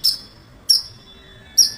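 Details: A squirrel, heard around the house in the morning among birds, gives three sharp, very high, bird-like chips about a second apart over a quiet background.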